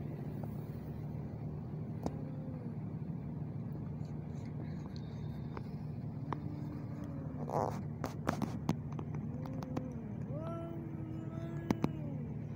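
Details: Two ginger male cats fighting in Al Rahmanya, Sharjah, UAE, filmed handheld on a neffos X20 phone: repeated drawn-out wavering yowls rising and falling, answered back and forth, over a steady low traffic hum with a few sharp knocks and a voice.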